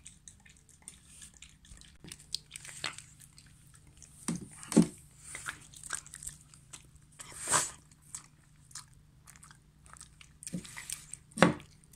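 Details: Irregular crunching and biting in a small indoor room, with sharp clicks and soft chewing between quieter gaps.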